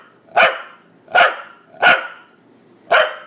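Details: A male corgi gives four sharp, mid-pitched barks, each a short harsh burst a little under a second apart, while being told to be quiet.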